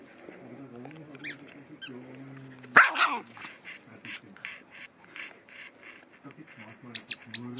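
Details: Cairn Terrier with two of his siblings visiting gives a sharp, loud bark among softer whines while a person speaks German nearby, apparently about play; Cairn Terrier.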